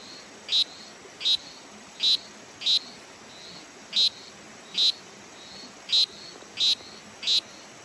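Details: Granular poison frog, a nice color morph, in Costa Rica in March 2023, giving short high buzzy chirps repeated roughly every three-quarters of a second, nine in all, over a quiet steady background hiss.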